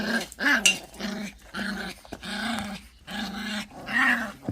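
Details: Pungsan dogs contesting rank, growling in four or five pulsing low rumbles separated by brief pauses, with a sharper yelp near the start.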